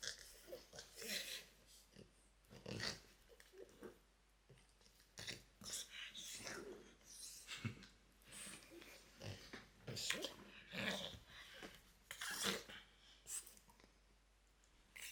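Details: Loki, a pet French Bulldog, makes odd noises indoors: a long series of short breathy snorts and pig-like grunts, irregularly spaced bursts with quiet gaps between them.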